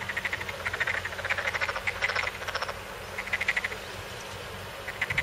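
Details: Frogs calling in rice paddies at Asaba, Sakado, Saitama Prefecture, Japan, in late April as rice planting begins, possibly contesting territory; rapid pulsed croaking trills in repeated bursts over a steady background hum.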